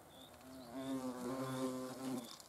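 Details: European hornet filmed in the Eifel region, a steady, low droning flight buzz with a strong hum and stacked overtones, swelling slightly in the middle of the pass and fading at the end, with faint higher tones above.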